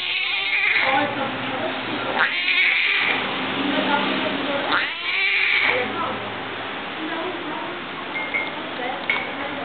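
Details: A hungry young tiger cub calling: harsh, strained, drawn-out cries rise and fall, coming in a string of bursts about every one to two seconds amid constant loud background noise and voices.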